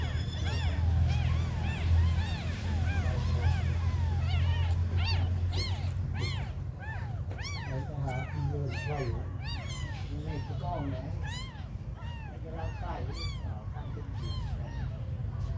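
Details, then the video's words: Very small abandoned kittens mewing continuously in a dense chorus, several short rising-falling cries every second, over a low rumble that is heavier in the first few seconds. "The smallest abandoned kittens on the world"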